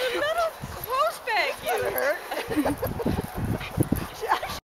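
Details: Two dogs, a Bull Terrier and a Basenji, playing together, Peng nibbling at Tazz to make him run; a run of warbling, arched yelps and whines in the first half, then softer grunts, scuffles and a final short yip.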